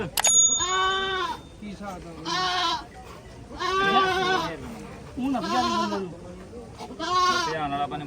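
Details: Goats at a goat market in Mullanpur: repeated loud, quavering bleats roughly every one to two seconds, mixed with men talking and bargaining nearby.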